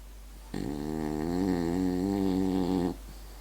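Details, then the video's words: French bulldog asleep, snoring in one long steady drone about two and a half seconds, rich buzzing harmonics, quiet indoor background. "french bulldog snoring"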